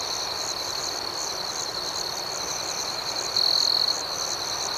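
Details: Nighttime cricket chorus with a steady shrill trill and rapid pulsing chirps layered above, several per second; near the end a louder pure tone briefly stands out before the trill resumes.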